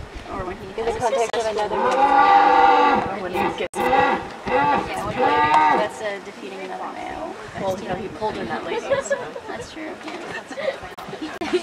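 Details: A focal red deer stag with a broken right antler gives loud, harsh, drawn-out roars and grunts around his harem while watching a rival male, at Fossil Rim Wildlife Center; a man's voice talks alongside.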